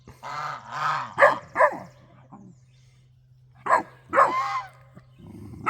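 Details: A Great Dane puppy, upset because his owner suspects a raccoon is raiding the bird feeder, scolds the guard geese with drawn-out whiny yowls and sharp, grumbling barks over a steady low hum.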